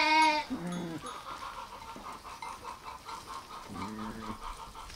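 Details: Sheep or lambs: a short high bleat, then a lower wavering bleat, a steady pulsing hum, and another low bleat near the end.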